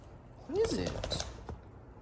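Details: Jayda, a pet Boxer dog, indoors during a showdown with her pink toy pig hidden under her bed, gives one brief, arched, rising-then-falling whining yelp in a quiet small room.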